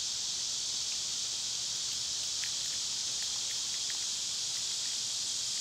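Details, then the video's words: Summer cicada chorus as a continuous high, dense buzz filling the background, with a few faint short ticks or chirps from other creatures scattered over it. "Cicada sounds"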